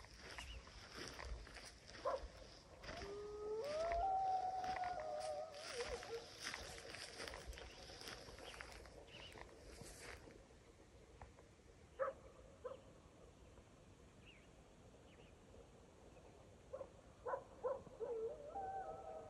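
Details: Mexican gray wolves (Canis lupus baileyi) howl in long, wavering, rising and falling tones, partly over wind noise, in Arizona's Primitive Blue Range on 6.10.23.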